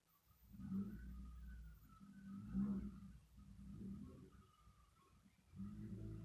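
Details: Domestic cat snoring: slow, rough low breaths swelling and fading, each drawn-out snore lasting about a second, with quiet pauses between them.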